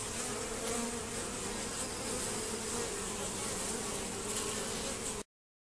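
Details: Honey bees robbing a hive entrance protected by a Z-shaped screen; loud, dense continuous buzzing with a strong hum and bright hiss, ending abruptly in silence.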